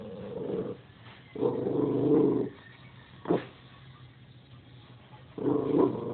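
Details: Domestic dog barks at nothing in particular, giving long gruff, growly bursts of about a second, then a short sharp bark, then another drawn-out rough bark after a quiet gap.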